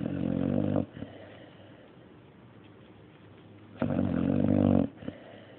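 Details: Mario the dog snoring: two coarse, rasping inhalations about three seconds apart, with faint soft breathing between them.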